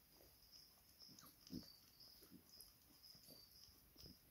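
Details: A miniature schnauzer puppy nursing from its mother for the first time. Soft snuffles, wheezy grunts and suckling noises repeat every fraction of a second over a quiet, steady high hiss.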